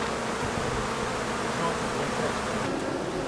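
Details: Summer buzzing of honey bee colonies at an apiary pavilion during practical beekeeping work: an even, continuous wash of humming wings with no breaks or clear individual calls.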